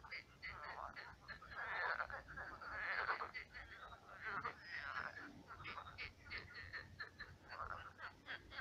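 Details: Numerous frogs croaking at night in a shallow pond turned marsh; swelling bursts of rapid, grating croaks overlap from several callers, louder around the second and third seconds.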